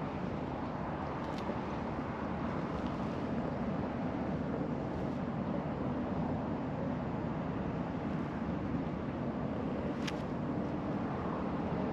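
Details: Steady low engine rumble and wind-like noise at a fishing port, with a few faint clicks and no animal voices.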